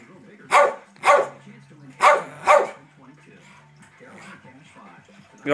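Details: Pet dog Daisy pesters her older sister dog, wanting to play; four loud, sharp barks come in two quick pairs, each pair about half a second apart, followed by quieter human speech.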